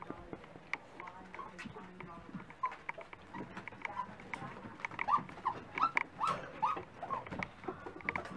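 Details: Several Dachshund puppies at breakfast time give high, thin whimpering whines, clustered as short rising and falling cries in the second half, over clicking and clattering noises and faint human voices.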